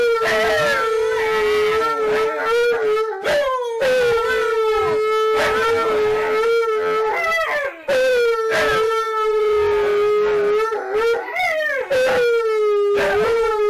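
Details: Siberian Huskies Tonka and Monroe howling together with K'eyush the Stunt Dog: sustained, slightly wavering tones held for a few seconds each, with short breaks between them and voices overlapping.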